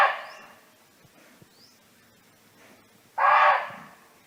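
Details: Barking deer roaming free in nature, calling to its friends: the tail of one bark fades out, faint high chirps follow, then a loud, gruff single bark sounds near the end.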